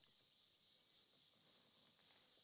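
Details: Insects in the trees of Rietspruit Game Reserve, Lowveld, South Africa, at sunset on 27 December 2024: a dense, continuous, shrill high-pitched chorus pulsing slightly in waves about every half second, with no other sounds standing out.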